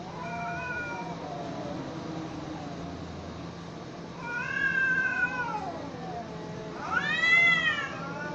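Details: Cats in a fight give wailing, bending yowls, a thin drawn note first, then a louder wavering howl and a final sharp rising-falling screech, with low hum beneath.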